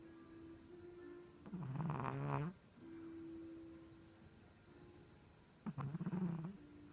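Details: Small Chihuahua sleeping on its back and snoring with a human-like sound: two loud, gravelly, low-pitched snores about four seconds apart, the first lasting a full second, with a faint steady hum between them.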